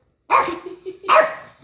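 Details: Pet dog indoors barking at a man on television: two sharp, loud barks about 0.8 seconds apart, with no other clear sounds.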